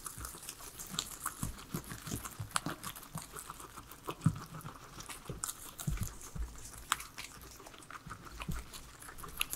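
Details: Three pet guinea pigs eating their veggies, a salad, indoors; dense crunchy chewing and biting clicks come in quick irregular bursts throughout, with no talking or music.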